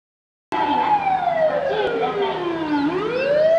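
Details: Domestic dog howling in imitation of an ambulance siren: one long, smooth tonal wail with layered harmonics that slides steadily downward for over two seconds, then turns and rises again at the end.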